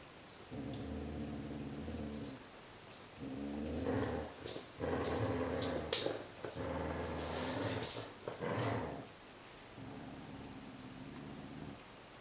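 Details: Vizslas playing tug-of-war with a toy monkey: rumbling, harmonic growls in uneven bursts of one to two seconds, with brief pauses, scuffling and a few sharper yips.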